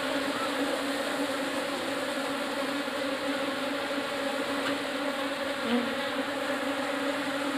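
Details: Asian honey bees (Apis cerana indica) of a newly arrived swarm in a hive box make a steady, humming buzz, slightly softer, with a constant low drone and faint fluctuations.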